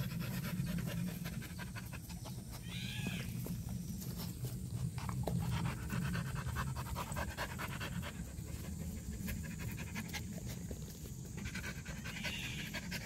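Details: Purebred black Jindo dog panting in quick, steady breaths of about three per second, a rough broadband huffing over a constant low rumble, with faint brief chirps arching above.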